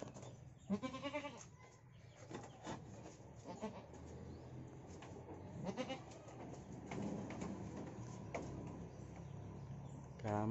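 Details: A goat that was pinned and badly hurt, unable to stand, gives wavering, nasal bleats of distress, then struggles free.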